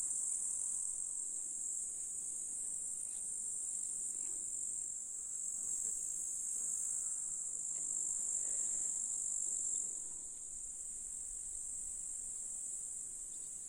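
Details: Chorus of grasshoppers in July, Russian countryside with meadow flowers and a lake; an unbroken high sizzling drone, slightly fading near the end, with faint low rustling beneath.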